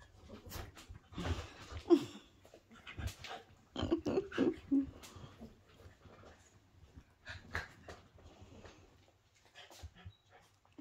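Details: Poodle with babies, indoors in a small room; a few short, high, thin whimpers near the two- and four-to-five-second marks, set among rustling, handling noise and soft breathing, with a quiet voice briefly nearby.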